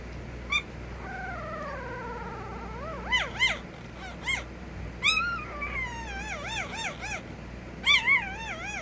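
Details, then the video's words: Puppy whining: a long, slowly falling whine, then a run of wavy, rising-and-falling high whimpers and short yips, loudest toward the end, with a faint low hum beneath. "A Minute of Puppy Noises"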